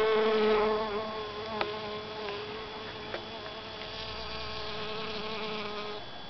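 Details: Steady, low droning buzz of a honey bee gathering pollen in a calla (Zantedeschia) flower head, with a layered tone that wavers slightly, loudest at the start and fading toward the end, broken by a few soft clicks.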